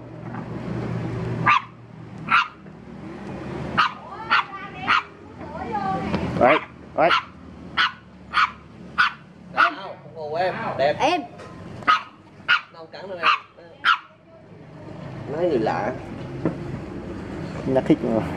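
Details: Dog. A dog gives a run of sharp, loud barks, spaced unevenly about a second apart, in reaction to a stranger. People's voices carry on underneath and between the barks.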